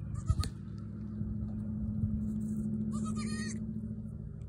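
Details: Newborn female goat attempting to jump about, letting out one short, nasal, quavering bleat near the end, preceded by a sharp knock and set against a steady low mechanical hum.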